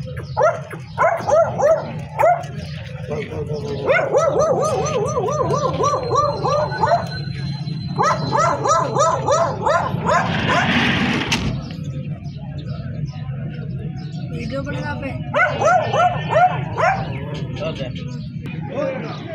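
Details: Female long-coated German Shepherd giving bursts of harmonic, yelping barks, several in quick runs separated by short pauses, with people talking in Spanish in the background throughout.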